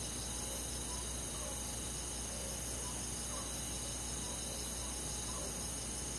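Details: Crickets chirping in a forest on a quiet summer night, an unbroken high buzzing wall of trills with sparse soft pulses drifting through the middle range.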